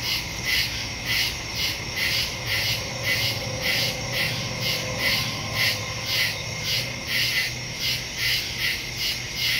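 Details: Woodland crickets calling at night in early September 2023, phone recording with stereo microphone: rapid pulsing high-pitched chirps, about two per second, layered over a constant ringing drone.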